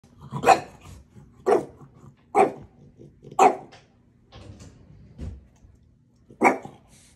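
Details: Small dog named Maui, among bulldog, French bulldog and chihuahua tags, teasing its big brother indoors: sharp broadband barks roughly once a second, with a few softer grumbles between them.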